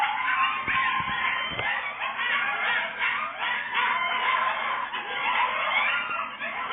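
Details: Coyotes in Florida howl and yip together in a dense, wavering chorus of overlapping high, quavering voices, joining in with passing fire truck sirens.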